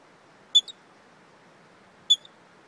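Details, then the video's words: Hiccuping squirrel met along a hiking trail gives two abrupt, piercing high chirps about one and a half seconds apart, each trailed by a faint second tick, against near silence. "Squirrel with Hiccups"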